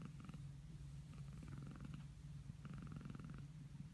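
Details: Rescued domestic cat purring while affectionately play-biting: a steady low rumbling purr throughout, with faint higher pulsing bands at moments and a quiet indoor background.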